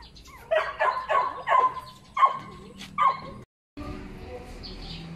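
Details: Puppies yipping and whimpering, a run of short, rising-falling cries repeated about every third of a second, then a brief pause and a quieter closing stretch of room noise.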